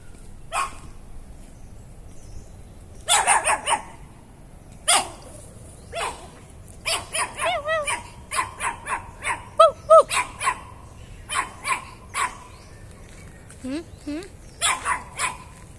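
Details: Chihuahua named Meetang, a visiting dog that comes to the house and barks whenever he sees the household, giving sharp, high barks in irregular bursts and quick doubled yips, with short pauses between volleys.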